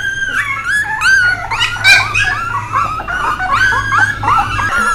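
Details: Several puppies, with Bek, whimper and whine together indoors: overlapping high, wavering, tonal cries that rise and fall, packed densely across five seconds over a steady low electrical hum.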